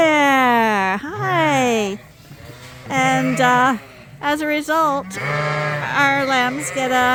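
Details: Suffolk lambs mixed into one big group in a barn at Ewetopia Farms after a gate was left open: loud wavering bleats, one long falling cry followed by several shorter quavering bleats from different lambs.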